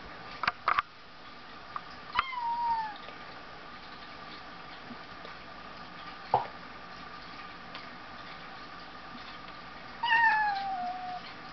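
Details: Two domestic cats play-fighting indoors, one standing on its hind legs; a short falling high-pitched whine around two seconds and another at ten seconds, with thumps and scuffling between.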